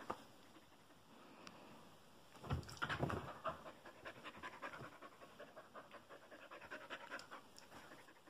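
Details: A happy puppy pants rapidly, with a loud burst of breathy huffs near the middle followed by steady, irregular panting and light rustling.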